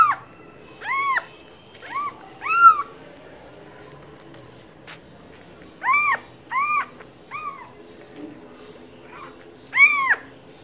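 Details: Cat uttering brief arched meows in small bursts, several close pairs separated by quiet gaps, with a soft click and low background murmur between calls.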